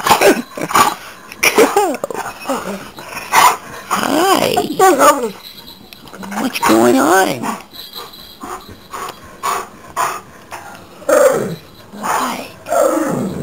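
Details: Dakota, a male Chesapeake Bay Retriever, greeting his family first thing in the morning with his habitual smile; sing-song rising and falling whines and grumbles come in bursts among people's talking and laughter.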